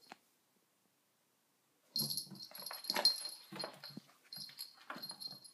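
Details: Sona the dog, indoors with a cushion, silent at first, then breaks into a run of rapid raspy snuffling wheezes with hissy breath bursts that continue unevenly to the end.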